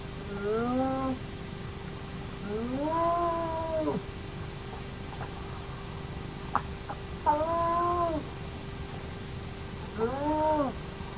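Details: Hyena of the Naledi hyena clan at an active den, filmed by a camera: four tonal calls, each rising then level with stacked harmonics, about a second long, repeated every few seconds, a few faint clicks between, steady low hum.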